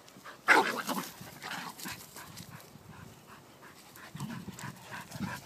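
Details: Yorkie Playboy at play with Wheaten Terriers Nittany and Harley: one sharp, loud yelp-like burst opens, then breathy panting and soft whimpering sounds continue at a lower level, with a few low growly pulses near the end.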